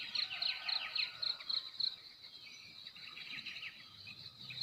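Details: Crickets in a rural village of Timor, NTT, in the morning: a quick run of high, evenly spaced chirps opens, then fades beneath fluttering bird calls and a faint buzzing chorus.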